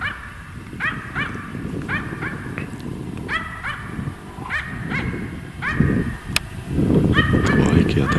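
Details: A Finnish Spitz hunting in snowy winter woods in January 2025 barks at a treed capercaillie hen about 82 m away, sharp ringing barks in rapid bursts of two or three, while a man talks quietly over low rumble and crunching footsteps.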